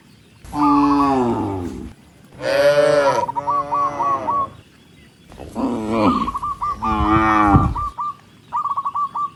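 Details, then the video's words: Tens of tame cattle walking along a rice field road, four strong moos in two pairs, long and richly harmonic, some overlapping, followed by quick repeated bird chirps at the close. "Tens of tame cattle are walking along the rice field road, Cow Sound, sound of cows mooing"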